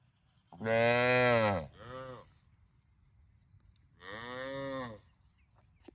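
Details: Cow mooing: a long loud moo followed by a shorter falling one, then after a pause a third moo, three calls in all with quiet between.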